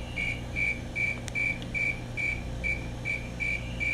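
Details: Close view of a calling male Fulton's tree cricket: ten short, pure whistled chirps spaced about 0.4 seconds apart, a single click midway, low rumble in the background.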